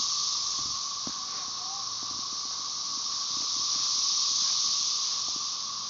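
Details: Brood XIX Magicicada tredecassini chorusing with M. tredecim in the background at Tyler Bend Park near Marshall, Arkansas, on May 30, 2011; an intense, steady, hiss-like drone gently rising toward the end, with faint scattered ticks.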